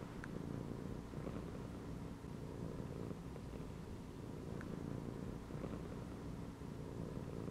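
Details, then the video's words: Resting domestic cat curled up in a gym belt, purring with a continuous low, throbbing rumble that swells and eases with each breath. Occasional faint ticks are heard. "CAT CHILLING PURRING AND MEOWING INSIDE THE GYM BELT"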